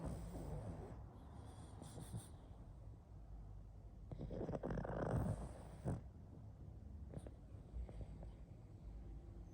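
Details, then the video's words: Sleeping pug snoring, a low rough rumbling breath rising around the middle to a louder raspy snore, then fading back to quiet snuffling breaths. "Мопс спит и храпит"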